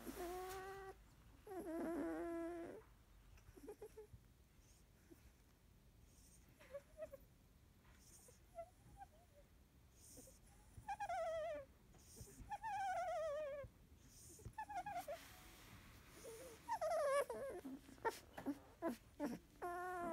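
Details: Labrador Retriever puppies of a field line, 16 days old, with eyes newly opened, resting after nursing: scattered high whining squeals and squeaky whimpers, some wavering, separated by quiet gaps, with short bursts of rustling.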